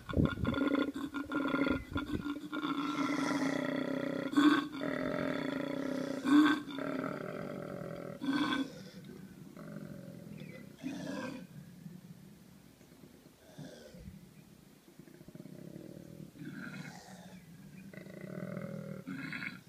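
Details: During mating season a male koala bellows with very deep, rasping, snore-like grunts alternating with belching exhalations, while a nearby female makes screeching sounds.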